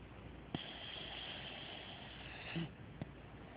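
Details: A very tired pet dog asleep indoors at night, snoring: a long breathy hissing exhalation lasting about two seconds, with brief clicks and soft snorts at the start and end.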